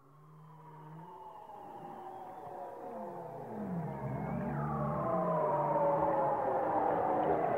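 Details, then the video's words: Whale song that fades in from near silence: many overlapping tonal moans and long gliding whistles, some falling and one rising sharply then dropping near the fourth second, layered over a steady low hum. "chant des baleines"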